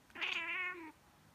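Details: A female domestic cat gives one drawn-out meow, under a second long, rich in harmonics, with a bright opening and a slightly falling tail. She makes this reaction every time someone sneezes or pretends to sneeze.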